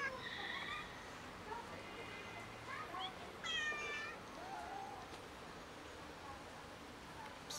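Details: Neighbourhood street cats, six very hungry ones, calling loudly while being fed: a series of meows, the clearest a strong rising-falling cry midway, with a person talking and faint outdoor background.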